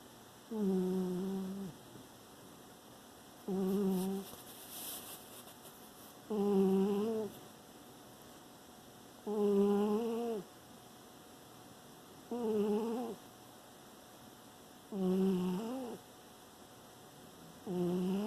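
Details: Pet dog sleeping indoors, recorded September 2018, snoring steadily: a harmonic, humming drone on each breath, about seven snores spaced two to three seconds apart, each lasting roughly a second, in a quiet small room.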